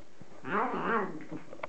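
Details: Hungry domestic cat eating chicken gives one short, nasal, wavering meow that rises and dips twice. A person talks softly just before and after it.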